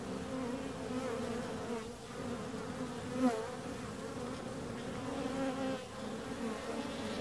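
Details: Bees produce a steady layered buzz; one insect passes near the microphone midway with a sharp swell and pitch shift, while the background hum dips and returns.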